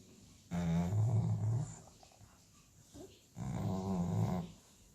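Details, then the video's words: Sleeping American Staffordshire Terrier snoring indoors: two long, low rumbling snores of about a second each, with a rattling buzzy texture and a quiet pause between them. "Cane che russa (Dog Snoring )"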